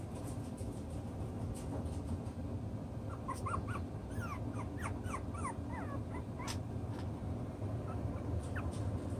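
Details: Six-week-old chocolate brown Toy Poodle puppies playing and sorting out their pecking order; many quick, high squeaks and yips, rising and falling, clustered in the middle of the clip over a steady low rumble.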